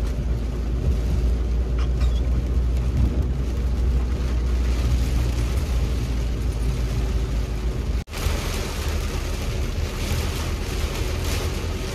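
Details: Steady, heavy low rumble like a running engine or passing traffic fills all twelve seconds, broken only by a brief dropout near the eighth second, with no animal voice anywhere.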